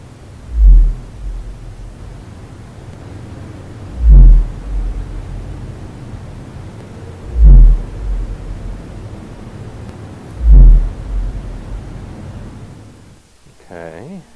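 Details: Male fin whale song, heard about ten months of the year, played back at twice normal speed: deep, booming pulses at a single peak frequency, very rhythmic and regular, about every three seconds.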